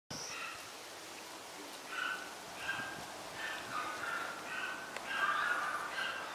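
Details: A young male Toy Poodle puppy born 19 May makes a string of high, clear whimpers and little yelps in short, uneven runs several times a second, over a faint steady hiss.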